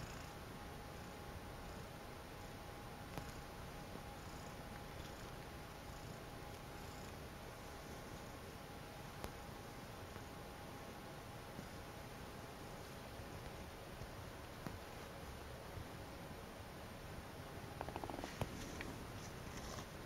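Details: Calliope, a pet cat, purring softly while enjoying her fuzzy blanket indoors; a steady low rumble runs the whole time, quiet and even, with a few faint clicks and rustles near the end.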